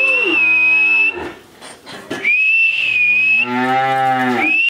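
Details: Friesian heifer calf aged thirteen months, Pabna, Bangladesh, bellows two loud, drawn-out moos, each with a high, whistle-like overtone, separated by a brief pause.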